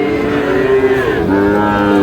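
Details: Sahiwal bull calves at Raniganj livestock market, a Thursday market day in Bangladesh: loud, drawn-out harmonic lowing that holds steady, dips briefly midway, then resumes slightly lower, with faint crowd murmur behind.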